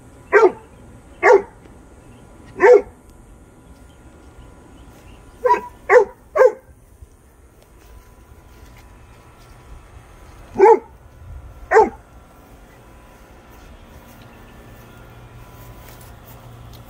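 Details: Great Dane with no fear of a rat it is confronting: about eight loud, deep barks, single or in quick pairs and a triplet, with irregular pauses and a quiet final stretch.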